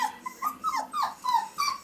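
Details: Five-week-old male Pomsky puppies from Winter and Dash's litter whimpering: a run of thin, short, falling whines, several in under two seconds, soft and high with faint overtones, nothing else clearly heard.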